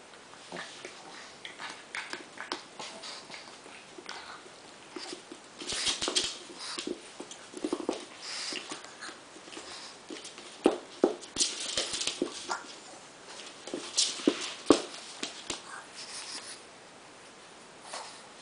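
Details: Two pugs, Homer at one year old and Lisa at two months, make short breathy snorts and sniffing bursts in irregular clusters, with louder huffs in the middle and later stretches, over soft scuffling and pattering.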